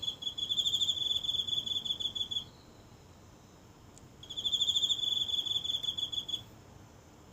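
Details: A lone insect in garden grass, heard every night and recorded up close with a phone: two bouts of high, buzzy, pulsed trilling, each about two seconds, separated by a quiet gap of nearly two seconds.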